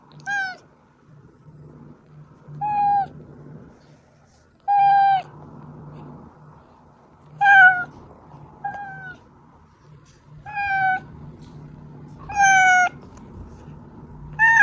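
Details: Oz, a pet cat, meows to draw out housemates Meonji and Dubu when they hide: eight clear harmonic meows, some short and flat, others rising then falling, spaced about two seconds apart over a low steady hum.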